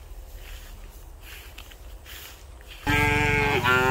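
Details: Street-dwelling cows with a calf feeding on milk; after a quiet stretch of low background noise a loud, richly harmonic moo bursts in and holds steady to the end, dipping slightly before rising again.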